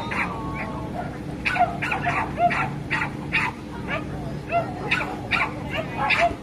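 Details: Dogs barking at a dog show, where a brother-and-sister pair of dogs made their debut: short, sharp barks repeated in rapid bursts about every half second, with a low steady hum and a busy indoor hall behind.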